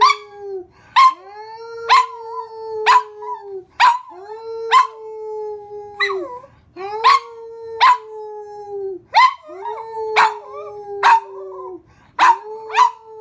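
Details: Domestic dog joining in as its owner sings, giving sustained even howl-like tones that bend slightly at each end, broken by repeated short harsh barks roughly once a second throughout.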